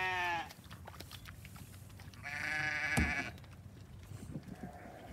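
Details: Domestic sheep at hay time, with a hungry ram lamb among the seven lambs; a brief bleat at the start and a harsher, noisy bleat later, amid a sharp knock, shuffling and faint calls.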